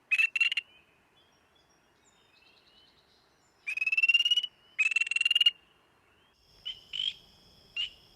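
Spring peeper giving raspy, rising trills in short bursts, its aggressive territorial call.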